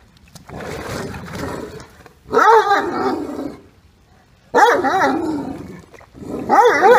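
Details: Max, a deaf Great Dane, and Katie, Great Danes by a pool, trade drawn-out, wavering woo-woo vocalizations that rise and fall in pitch like grumbling talk, a vocal argument over Max not staying in the pool.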